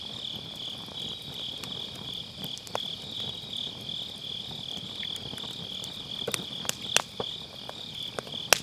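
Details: Constant thin, high insect trill from grass insects on an autumn night, recorded with an MKE600 microphone with low cut beside a round fire pit; firewood crackles grow denser and louder toward the end.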